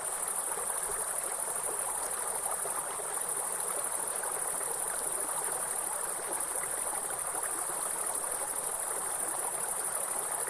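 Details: High continuous insect drone from forest grasshoppers, level and unbroken, accompanied throughout by the loud rushing noise of a waterfall and stream.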